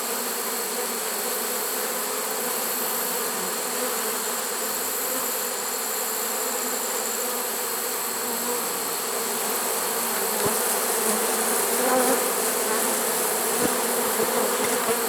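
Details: Late-season honey bee swarm in a swarm trap, September 2019, a continuous droning buzz of many bees, swelling slightly louder in the last few seconds, with faint clicks or taps near the end.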